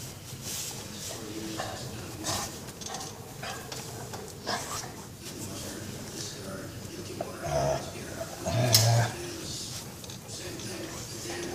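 A Beagle lets out a couple of deep, drawn-out groans of contentment while being massaged.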